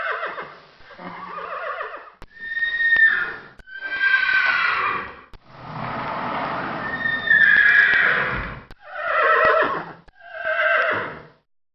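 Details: Horse neighing several times: shrill, vibrating whinnies with a fluttering tremble, one long rough stretch in the middle, then two shorter falling calls before silence.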